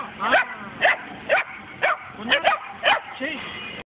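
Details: Kangal and German Shepherd mix puppies barking in a steady series of bright, high yaps roughly every half second, one quick double yap in the middle, with human voices underneath.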